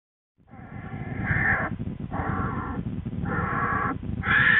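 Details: Twin American black bear cubs with their mother Lily in the den, February 13, 2013; a cub complains loudly, rousing her. Harsh, raspy squalls repeat about once a second in rhythmic bursts over a low, rumbling background.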